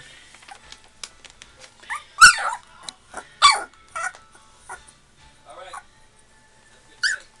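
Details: Labrador Retriever puppies two and a half weeks old: short high whimpers and squeaky yelps scattered across the clip, a couple of louder cries standing out, with faint speech in the background.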